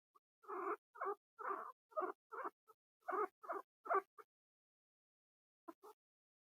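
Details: Pet guinea pigs squeaking away indoors: a run of short, repeated squeaky calls in quick bursts over four seconds, then a pause and two more faint squeaks near the end; no other sounds.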